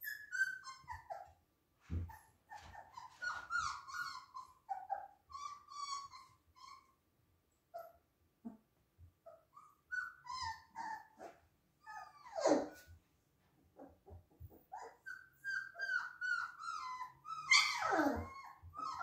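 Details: Siberian Husky puppies at play give high, wavering whines and short yips in scattered bursts with brief pauses, plus a few sharper yelps near the end.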